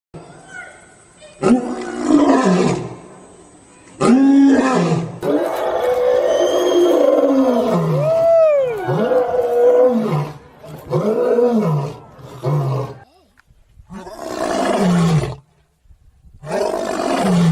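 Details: Lion roar: a series of deep, grunting calls with bursts and pauses, some swooping tonal sounds mid-sequence, ending with broad noisy roars separated by short silences.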